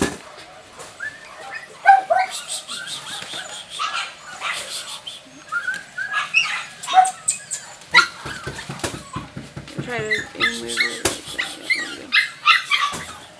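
Jack Russell Terrier puppies whine and yip in thin, high, overlapping squeaks, with a person talking.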